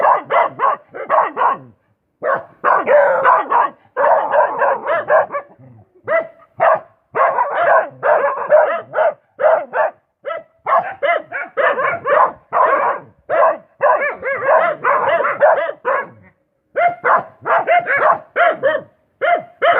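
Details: Dog barking in rapid, sharp bursts, near-continuous volleys of yelping barks packed together with only brief pauses across the whole stretch.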